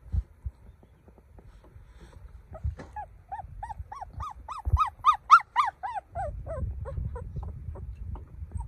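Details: Puppy crying: a run of high, arched, tonal whines that starts faint, builds to a loud burst of rapid cries about three per second, then fades into softer whimpers, with low thumping handling noise underneath.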